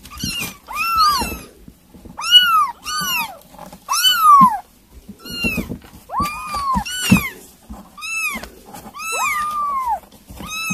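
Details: Several kittens being fed weaning food give a busy run of high, arched meows, each rising then falling, about ten calls in quick bursts, some overlapping, with soft clicking feeding noises underneath.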